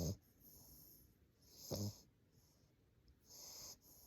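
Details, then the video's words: English Bulldog puppy asleep, breathing in soft wheezy snores, one short guttural snort in the middle, the rest quiet airy hisses. "Snoring Bulldog"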